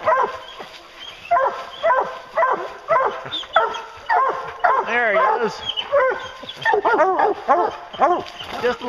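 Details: Several hounds out bear hunting give a dense chorus of overlapping baying barks, roughly two per second, with some longer rising and falling yelps mixed in.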